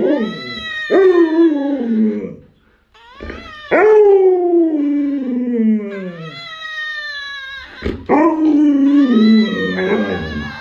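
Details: A pet Alaskan Malamute howls in long, mournful, harmonic tones of two to three seconds each. Each starts with a sharp onset and glides slowly downward, repeated three times with brief pauses between.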